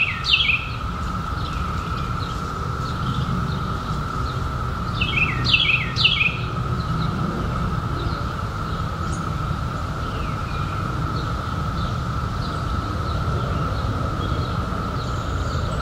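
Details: A continuous, even drone comes from periodical cicadas, which emerged in 2021 after a 17-year hiding. It holds level for the whole stretch. Brief clusters of falling bird chirps break in at the start and around the middle.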